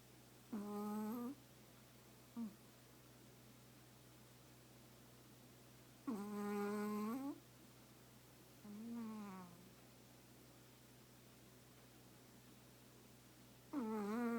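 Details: Snoring Chihuahua asleep, burrowed into its owner's lap for a nap: buzzy, nasal tones about a second long, slightly wavering in pitch, recurring roughly every three to five seconds with short soft snorts between, against a quiet constant room hum.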